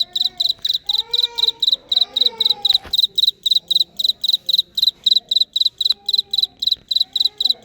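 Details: Real-life cricket producing a steady run of high, sharp pulsed chirps, each a short cluster of clicks, several per second, while a man speaks Vietnamese faintly in the background.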